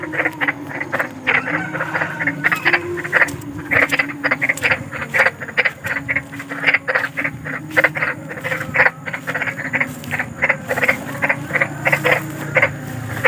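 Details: Big frog calling at night for sleep therapy: dense, overlapping harsh croaks in quick succession, partly masked by louder low rumbling and a steady background drone.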